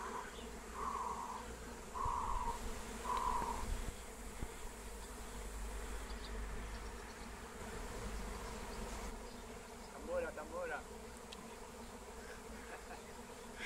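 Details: Flying swarm of wild honeybees, caught using a lemon balm lure. A constant deep buzzing drone fills the recording, with three short bright chirps early on and a few scattered higher calls near the end.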